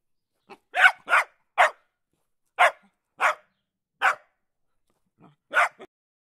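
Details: Dog giving a run of short, harsh barks, three quick ones, then single barks about every half second, in an otherwise quiet setting.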